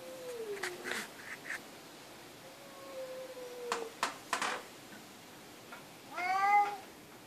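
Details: Cat vocalising: thin, drawn-out gliding tones and scattered knocks early on, followed by a clear, bright meow that rises and falls over about a second toward the end.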